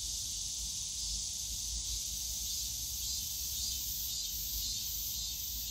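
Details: Cicadas in the bamboo grove of Yongsan Family Park on a summer day: a dense, unbroken high buzzing hiss that holds steady throughout, with a faint low rumble of park background beneath.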